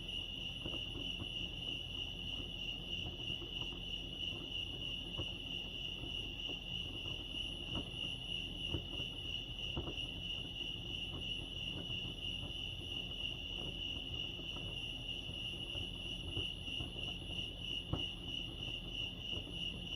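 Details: Crickets chirping at Lake Arrowhead, California: a steady, continuous high-pitched trill of rapid pulses holding one pitch throughout, over a soft low rumble of background noise.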